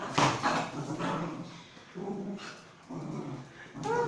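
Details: Pomeranian dog at play, giving rough growly bursts and short yapping barks in uneven clusters, with gaps of quiet between them; a woman speaks in Telugu nearby.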